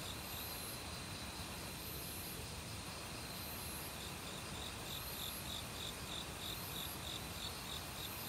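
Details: Forest crickets of autumn, loud since about a week earlier, trilling in rapid pulses with other insects while a mountain stream flows constantly in the background.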